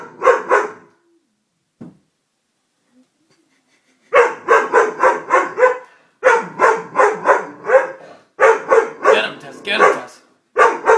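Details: Frightened Doberman during a prank gives fast, regular barks in bursts of four to six, separated by short silences, with a long quiet stretch early on.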